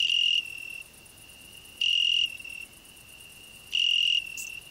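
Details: Cricket and grasshopper singing together on a rose bush: a continuous high-pitched ringing tone, swelling into loud, rasping bursts about every two seconds, three bursts in all, with a faint high tick near the end.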